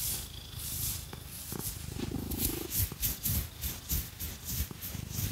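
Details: Cat Phoenix purring under a fake-nail scratch massage; a deep buzzing rumble dominates, with one hoarse swell midway, while rapid, uneven scratching taps and rasps fill the higher range.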